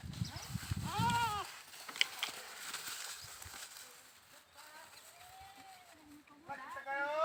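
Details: A single wavering goat bleat over low rumbling noise, then quieter background and a rising cry near the end.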